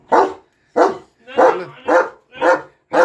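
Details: German shepherd barking steadily, six rough barks in about three seconds, roughly two per second, one bark trailing into a lower groan; a voice is faintly heard in the background.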